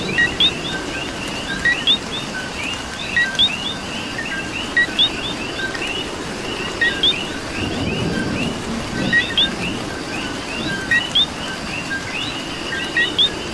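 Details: Coquis in Puerto Rico calling in rain, repeated two-part calls, a short low note then an upswept whistle, from several frogs over a constant chorus, rain hiss, and a brief low rumble midway.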